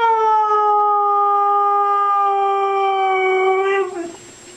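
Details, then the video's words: Pet dog 'talking' to its owner with one long, steady, tonal howl held at a nearly level pitch for about four seconds before breaking off abruptly; a person then says 'i love you'. "Funny dogs talking to owners"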